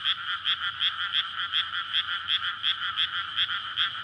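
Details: Night-time frog chorus in a water-filled paddy in May ahead of rice planting, a courtship gathering to spawn; steady rapid croaking pulses, several per second, overlapping into a continuous ringing din.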